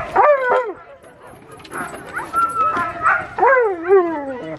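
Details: Alaskan Malamutes, mother Sola and daughter Sojou among other dogs, gathered for Mush Larose sled dog training in Farran Park, Ontario, on December 19, 2020; loud yips and rising-falling howling barks, with people talking in the background.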